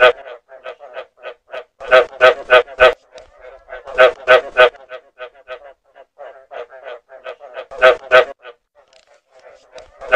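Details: Frogs croaking in rapid bursts of short, rasping notes, several clustered loud pulses then softer repeated clicks, about three calls per second, against a silent background.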